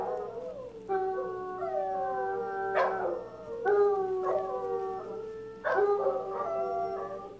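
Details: {'caption': 'Pair of Basset Hounds singing together in long drawn-out howls, steady tones with descending glides, new howls beginning roughly every two seconds and voices overlapping in a chorus.'}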